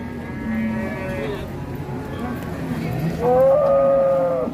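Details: Qurban cow rampaging down from a truck at Siyono Harjo market, giving a short low moo then, after a pause, a loud higher drawn-out bellow with rich harmonics amid crowd noise.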